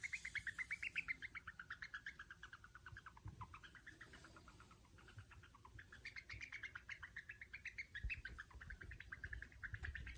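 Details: Pet female Djungarian hamster, a mother now living alone, calling affectionately only when her owner is near, touching or feeding her; long runs of rapid short high chirps, pausing briefly midway before resuming, with faint handling rustles.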